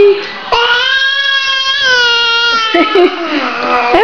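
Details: A Siamese cat, kept alongside a Doberman puppy, gives a long, loud, drawn-out meow that sounds much like a crying baby.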